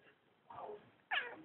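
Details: Ducati, a male house cat, comments when his owner asks him something: a soft, low falling meow, then a louder, higher and brighter second meow a half-second later, indoors.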